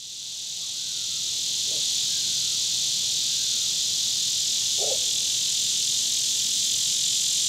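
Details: Neotibicen lyricen cicada calling at Sand Hills State Park, Kansas, on 9 August 2016: a loud, continuous, high buzzing drone that swells at the start and then holds steady, with two faint brief low sounds in the background.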